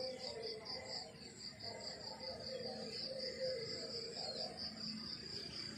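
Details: Morning crickets in the countryside: a high pulsing chirp repeats about twice a second in a steady rhythm, with faint lower background murmur.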